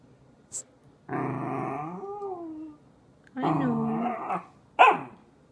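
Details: Corgi in a tantrum, complaining with two long groaning growl-whines, each over a second, wavering in pitch, followed by a short sharp yelp; indoors, quiet otherwise.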